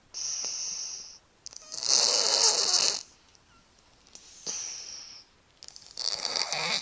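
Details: Sleeping pet cat snoring with whistling, wheezy breaths: a high thin whistle on each inhale and a harsh hissing exhale, cycling every two to three seconds.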